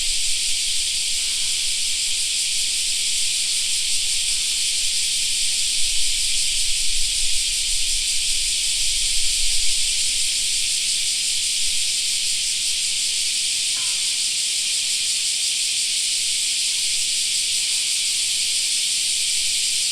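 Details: Cicadas in a park in summer, a dense continuous buzzing hiss filling the high range without a break; a faint low rumble swells around the middle.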